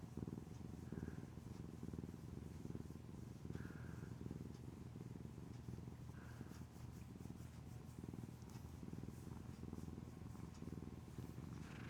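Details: Affectionate, clingy pet cat purring continuously, a low, even, rapidly pulsing rumble that rises and falls with each breath; faint short squeaky sounds and light room noise in the background.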